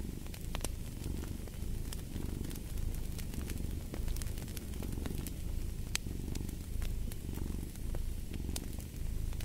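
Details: A cat purring steadily, low rumbling swelling and fading with each breath roughly every second, beside a crackling fireplace with sharp pops and snaps scattered throughout.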